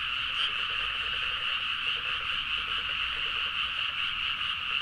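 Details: Midnight chorus of frogs in paddy fields, Nagaoka, Niigata, Japan, captured with a Zoom H4n; constant dense croaking, many voices merging into an even buzzing roar with lower rapid pulses.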